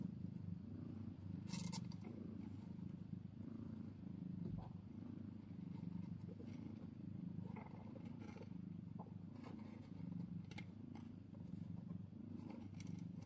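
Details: Newborn kitten with its mother cat in the first minutes of life, old footage. A low, unbroken purring drone continues for the whole stretch, with occasional sharp rustles and clicks.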